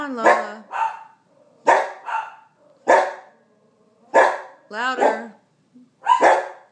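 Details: Bernedoodle puppy barking in short, harmonic yaps, often in quick pairs, about one burst every second, with quiet pauses between them.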